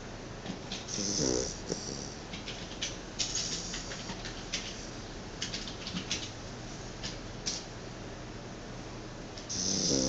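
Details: Sleeping Chow Chow snoring, a rough rasping breath near the start and another at the end, with soft airy breathing and small clicks in between.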